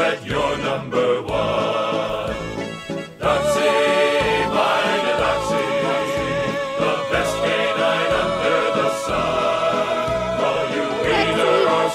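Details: Choral gospel-style singing with steady instrumental backing fills the whole stretch, with no animal sound audible.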